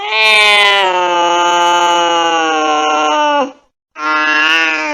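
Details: Angry cat giving one long, steady, low-pitched drawn-out yowl lasting over three seconds, followed after a short gap by another sustained wail.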